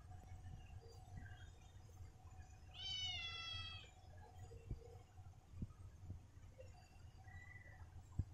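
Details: Pet cat in a family home: a single drawn-out, tonal meow lasting about a second, set against a low steady hum, scattered soft clicks and taps, and a brief faint squeak near the end.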